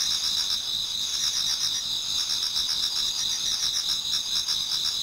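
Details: Several insects singing in a Japanese garden in autumn as dawn nears; layered shrill high-pitched trills hold steady while quicker rhythmic chirps pulse underneath, no other sounds.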